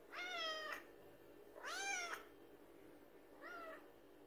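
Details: Three meows in quick succession from cats demanding food late at night, each a rich harmonic arch, the last one softer and shorter.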